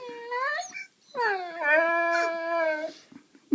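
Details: Female pet Saluki at home vocalising as if talking, complaining about her day: two drawn-out, wavering, harmonic howls, the first rising then breaking off and the second long and steady, ending in a short yelp, with people talking nearby.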